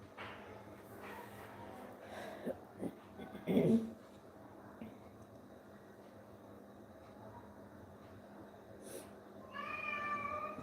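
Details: An indoor cat, one of several abandoned cats rescued and cared for at home, gives a single drawn-out harmonic meow at the end. Before it is a quiet stretch with a few soft thumps and knocks.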